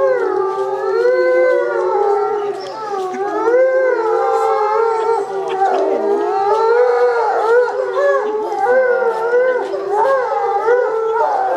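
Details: Captive timber wolf pack howling together on cue after the leader's squeaking signals; several overlapping wavering howls rise and fall, braided into a continuous chorus with shifting pitches throughout.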